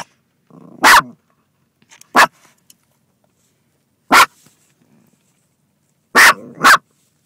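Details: Female dog barking from a car at another dog in a passing car, sharp loud barks in an irregular run, ending with a quick double bark, preceded by a low rough growl.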